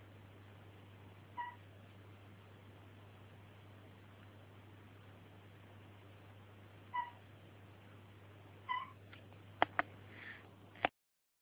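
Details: Mossy frog calling where peacock tree frogs also call: three brief, well-spaced harmonic chirps, then sharp clicks and knocks just before the sound cuts off, over a constant low hum.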